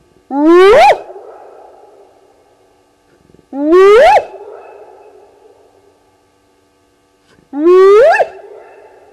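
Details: Hyenas heard calling at night, 02:35 on 29 May 2020, by a waterhole camera at Gowrie dam, Djuma Game Reserve, Sabi Sand, South Africa: three loud rising whoops, each about four seconds apart, trailing off into reverberation.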